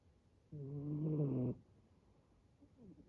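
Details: Snoring rescued male brown tabby-and-white kitten, likened to an old man: one long, loud, harmonic rasping snore of about a second, then quiet breathing.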